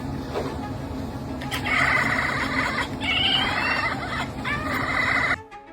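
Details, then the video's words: A domestic cat chatters in quick, stuttering bursts of clicky, bleating notes for about three seconds over background music. This hunting chatter usually comes when a cat sees birds or insects it cannot reach; one theory says it mimics prey. "Apakah kamu pernah dengar suara kucing yang kayak error gini"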